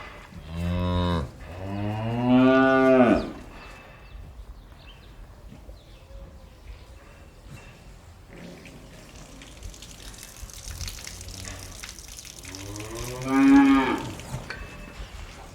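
Cows give deep, drawn-out moos, a short one, then a longer one, and another after a quiet spell.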